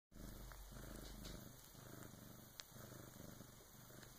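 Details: A female Bengal cat purrs in a steady, low, rumbling rhythm that pulses with each breath while giving birth to her first kitten around 3 a.m., helped by an older female cat.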